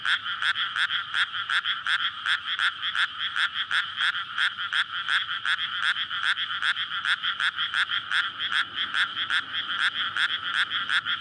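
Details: Courting frogs in a flooded rice paddy at night in May, recorded on a SONY PCM-D100 beside a residential area. Loud rattling croaks repeat rapidly and evenly, many voices merging into one dense, pulsing chorus throughout.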